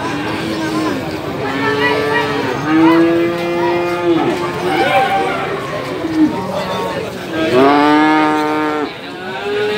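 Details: Male calves at the Gorang Gareng cattle market in Magetan, East Java, Indonesia, on 24 February 2019, giving several long, drawn-out moos that overlap, some level and some bending in pitch, with voices of the market crowd behind.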